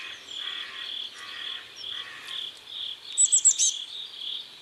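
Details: At dusk by a river in South Korea, crickets chirp in rhythmic high pulses while a lower grating trill repeats alongside, and a short burst of sharp bird notes cuts in near the end.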